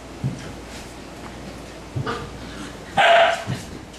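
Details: Siberian Husky barking at puppies at play; faint yips and scuffling, then one strong drawn-out bark near the end followed by a softer yelp.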